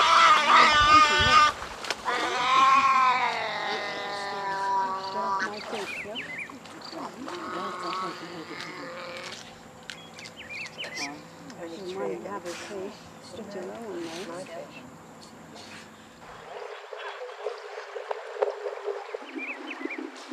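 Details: Giant otters (Pteronura brasiliensis) in the Pantanal, filmed from a small boat while eating fish, give loud, wavering, harmonic wails followed by quicker chirps and squeaks.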